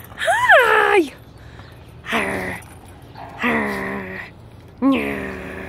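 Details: Elyot, a rescued Australian Shepherd mix, greeting his owner with gusto inside an '89 Jeep Wrangler: four loud groaning, howl-like vocal bursts, the first sweeping up then falling, separated by short pauses.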